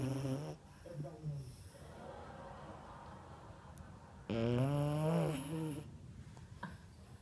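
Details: A small female French Bulldog, sleeping with her tongue out, snores in loud, throaty rasps that rise and fall with each breath.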